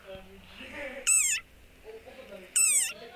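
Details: A very angry desert rain frog (Breviceps macrops) gives two shrill, squeaky squeals, each sliding downward, like a dog toy, a war cry, over soft background music and voice.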